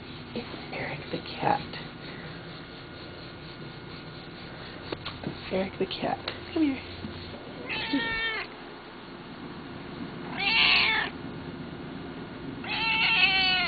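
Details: Eric the cat at the front porch, with a person talking softly and calling first, then three loud, wavering meows rising and falling in pitch toward the end, each about a second long.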